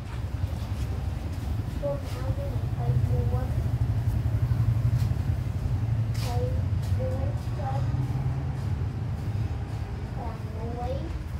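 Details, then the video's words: Little abandoned kittens playing, friendly, with brief thin mews coming in three bursts of two or three calls each, set against a constant low droning hum of traffic-like noise. "Very lovely little abandoned kittens playing they are friendly"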